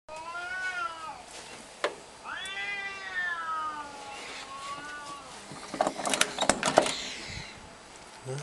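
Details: Domestic cat giving long drawn-out meows with wavering, rising then falling pitch, a second extended mewing call following, then scattered clicks and rustling toward the end.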